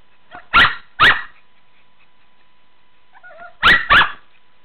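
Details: Shih Tzu dog playing in a swimming pool, barking: two sharp barks, a soft whine, then two more barks, with quiet gaps between.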